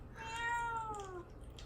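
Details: {'caption': 'One long plaintive meow from Mamedaifuku, a cat isolated in a cage while fasting ahead of neutering surgery, the tone steady then sliding downward at the end.'}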